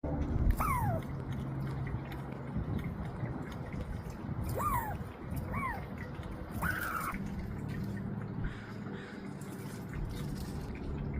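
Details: A Douglas squirrel (Tamiasciurus douglasii) gives a few short, arched chirps, rising then falling, over a low background rumble; recorded 20 July 2025, one of its various chirping/barking sounds.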